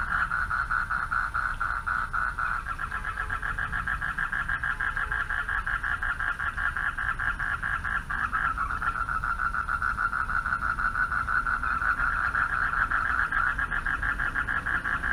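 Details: At night by a pond, male frogs call for mates in a steady chorus, a dense pulsing trill held without a break; frog.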